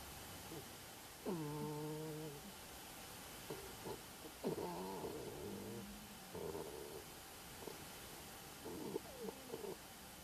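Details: Aurora the pet anteater snores while asleep, making a string of squeaky, harmonic whines: one long falling note first, then shorter wavering nasal squeaks spaced a second or two apart.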